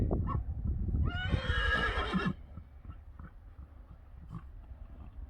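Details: Friesian horse letting out one clear neigh lasting about a second, a rich tremolo of stacked harmonics that falls slightly at the end, then quiet shuffling sounds.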